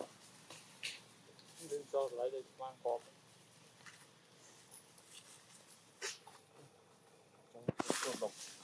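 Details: Newborn baby macaque, Billy Jr, standing and holding a stick among monkey troops in Siem Reap Province; a short run of squeaky, harmonic calls in quick succession, with scattered clicks and a loud broadband burst near the end.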